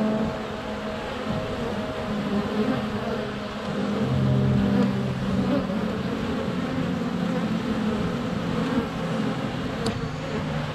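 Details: Honey bees around a hive entrance on a sunny February day, GoPro Hero 7 Black close by; a rumbling low drone swelling midway, with faint higher buzzing and a short click near the end.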